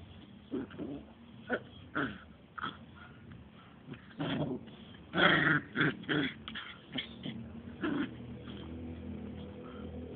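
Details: Two-month-old Smooth Fox Terrier puppies at play, giving soft scattered growls, whimpers and short yips in irregular bursts, louder in a cluster around the middle, over a low steady background hum.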